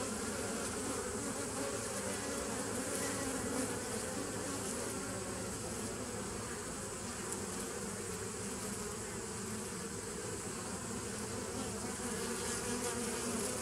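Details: Continuous droning of bees, dated 27 September 2018. A thick, even hum carries low banded tones and a faint flickering texture throughout, with no pauses and a soft hiss above.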